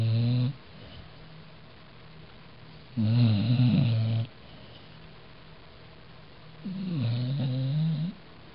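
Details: Pet dog asleep indoors after a four-mile walk, snoring in three loud raspy bursts, each about a second long, deep and rumbling with a wavering low tone, separated by quiet breathing gaps of two to three seconds.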